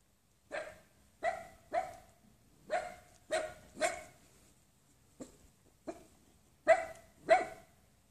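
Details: A six-month-old wirehaired miniature dachshund gives a series of sharp, high barks at uneven intervals.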